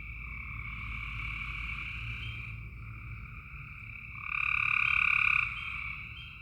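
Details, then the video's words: Frogs calling at night in Tennessee: a dense chorus of steady trilled calls with a bright band and a lower band, swelling loud for about a second near the end, low rumbling hum underneath. "Tennessee frog sounds at night"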